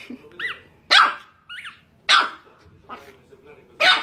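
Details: Chihuahua puppy barking: three loud, sharp barks roughly a second apart, with short high yelping whines between them.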